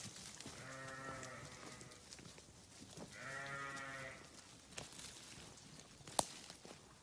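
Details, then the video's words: Sheep grazing on a farm give two wavering, harmonic bleats about a second long each, a few seconds apart, followed by quiet rustling and a sharp click. "Sheep Grazing | Sheep Farming | Sheep Sound"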